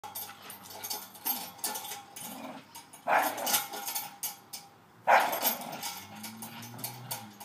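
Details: Male Staffordshire Bull Terrier playing on his new spring pole, a Christmas present, giving low rumbling growls broken by two sharp, noisy bursts near the middle, with rattling and scuffling from the toy throughout.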